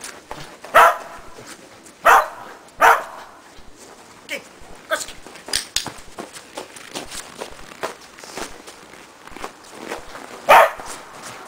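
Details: Preston, a Shetland Sheepdog, barks during agility training on a box with a jump grid, a running contacts foundation exercise. Four sharp, loud barks come at irregular intervals, with frequent light taps and footstep clicks between them.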